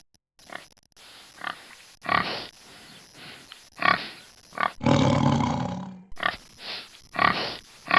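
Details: Pig making short low grunts spaced about half a second apart, broken by a harsh, loud squealing burst of roughly a second in the middle; a faint steady high tone runs underneath.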